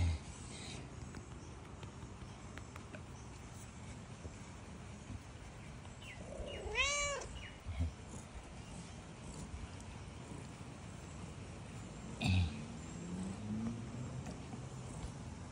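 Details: Tabby cat giving one clear, drawn-out meow midway, with stacked harmonics that rise and then fall in an arched tone. Before and after it there is only a low steady background hum and a few soft knocks.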